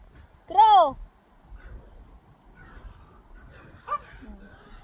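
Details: A pet goat gives one loud, short bleat that rises and falls in a smooth arch, bright with overtones. Quieter faint sounds and low rumble follow afterwards.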